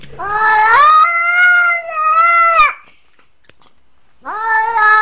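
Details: Crying for help after a pitbull attack, a kitten utters a sustained, strained, rising then level wail lasting over two seconds, falls silent, then starts another rising cry; the setting is otherwise quiet.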